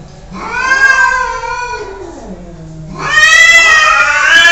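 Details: Cat giving two long, drawn-out meows with rich harmonics, the first wavering and falling, the second louder and rising sharply at the end; no other sounds.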